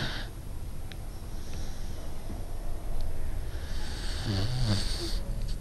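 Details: Pingo, a pet dog, snoring in his sleep: a continuous low, rumbling snore with a faint hiss above it and a brief higher, voiced rasp near the end.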